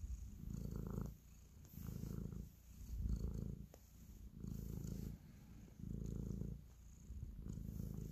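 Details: Domestic cat purring while kneading, showing affection; steady low rumbling purr in pulses of about a second each, loud phases alternating with quieter gaps as the cat breathes in and out, in a quiet indoor setting.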